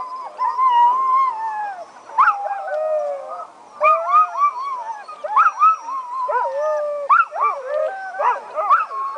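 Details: Sled dogs at the 2010 Wolftrack Classic race, an hour before starting, howling from eagerness to run; bursts of rising and falling howls repeat every second or two, with yips and wavering tones from many dogs overlapping.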